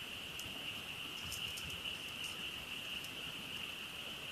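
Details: Frogs in full chorus at a night campsite near a campfire, their calls merging into one continuous shrill trill that pulses slightly, with light scattered ticks from the fire above it.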